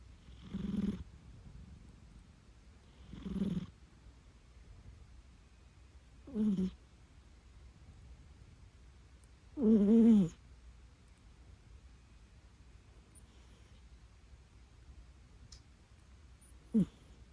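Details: Pet cat snoring indoors while asleep: soft, low rasping breaths spaced every few seconds, one louder longer snore midway, and quiet between.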